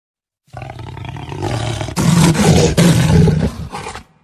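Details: Jaguar growling and roaring: a low, rumbling growl for about a second and a half, then louder, harsher roaring bursts with abrupt breaks between them, ending in a short final burst.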